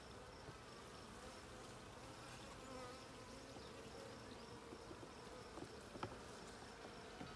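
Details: Honey bees in the blue hive during a hive check on June 20, 2022: a steady, dense low buzzing hum from the colony, continuous throughout, with a few faint clicks and knocks from handling near the end.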